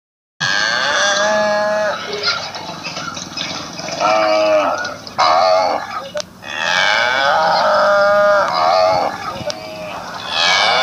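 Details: Cattle from Assam mooing in a village setting: several drawn-out, harmonic lowing calls with wavering pitch, rising and falling, separated by short pauses, with faint background voices.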